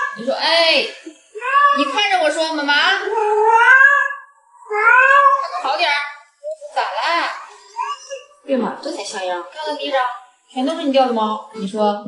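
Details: Pet cat Yuanbao indoors, giving a run of drawn-out, arching meows in separate bursts with short pauses between, some rising then falling, over about twelve seconds, mixed with a person talking.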